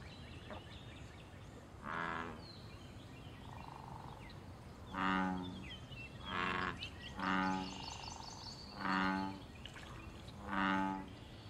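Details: Wild American bullfrogs in a pond give loud, deep, droning calls tied to mating, territory and fighting. Six low, buzzy, harmonic croaks of about one second each come at uneven intervals, with faint chirps of small birds in the background.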